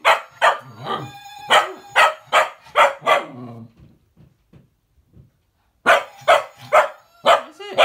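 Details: Young female cocker spaniel, a pet, barks in a rapid burst of about seven yaps, goes quiet with faint grumbles, then resumes barking, provoked by the whistling of a Gizmo toy faintly audible underneath.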